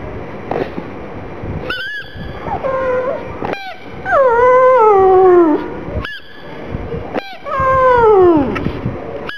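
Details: A crying black pug named Gong Fu, sad for its small ball, gives three long whimpers that start high and slide steadily downward, separated by brief sharp squeaks and a quiet pause.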